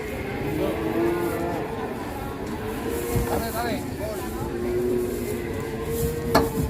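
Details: ['Fat cattle agitated and raging while being loaded onto a truck. Long, low, droning moos hold steady tones with rich harmonics, repeated through the clip over a rumbling background, with a short sharp knock near the end.']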